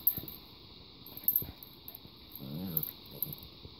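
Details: Rylee, a 9-week-old German Shepherd/Boxer mix puppy, and Tinkerbell, a 4-year-old Chihuahua/Terrier mix, play fighting on a bed on 4 June 2017; a brief harmonic whining growl rises midway, surrounded by rustling bedding and soft thumps.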